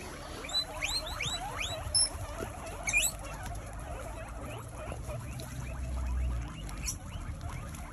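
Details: Around eighty guinea pigs in a cozy enclosure in the United Kingdom wheek and squeak all at once, a dense chorus of rising whistled squeals overlapping one another, with low rustling and patter beneath.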